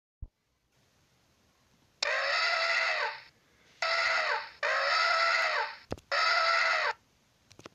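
An Asian elephant trumpets in four loud, brassy blasts, each sagging slightly in pitch.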